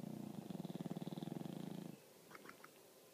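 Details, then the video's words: English Bulldog asleep and snoring, one deep fluttering snore lasting about two seconds, then quiet with a few faint clicks. "English Bulldog Snoring"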